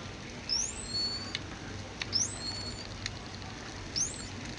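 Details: A captive dolphin at Dolphin Quest Hawaii, recorded underwater by hydrophone, repeats its signature whistle, its "name", a high sweeping tone that bends up then down about every two seconds.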